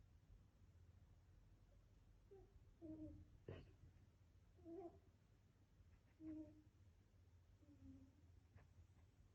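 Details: Domestic cat making sounds while dreaming in its sleep indoors: soft, short, tonal murmurs and chirps, several separate faint bursts spaced a second or two apart, with a low steady room hum underneath.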